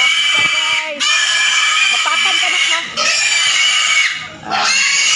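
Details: Pigs just moved into new pigpens give harsh, noisy oinks and squeals in loud bursts, with a person talking in the background.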